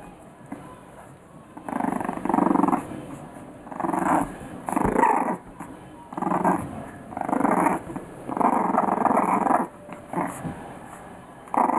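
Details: English Bulldog puppies, three weeks old, growling in play: rough rumbling bursts of one to two seconds, repeated with short pauses throughout.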